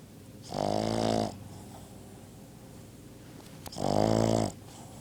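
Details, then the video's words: Dog snoring in its sleep, two loud, drawn-out rasping snores of nearly a second each, about three seconds apart, with a faint click between them in a quiet room. "the dog snores"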